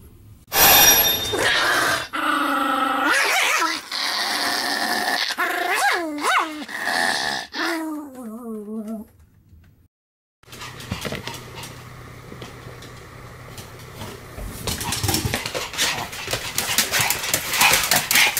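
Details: Two Pomeranians, Sam and Marin, barking together in a duet: sharp repeated barks and yips overlapping for several seconds, then a brief silence followed by noisy background sound.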